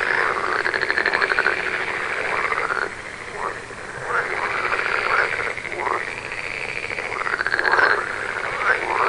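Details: Frogs croaking in overlapping pulsed trills, some calls curving up then down in pitch, the chorus fading for a moment before building again.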